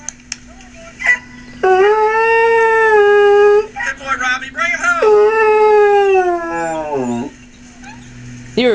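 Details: Domestic dog howling on hearing two dogs in distress in a canoe; two drawn-out steady howls, the second sliding down sharply at its end, with a woman praising him and background music.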